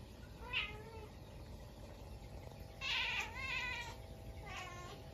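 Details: Munchkin cat at home at midnight on a snowy day after a stink bug got into the house; two short meows, a faint one early and a louder harmonic-rich one near three seconds, over a steady low hum.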